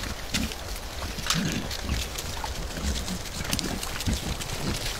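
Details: Wild boar (Sus scrofa) bathing in a riverbed, caught on a trail camera, give low, short grunts over a steady hiss of splashing and outdoor noise.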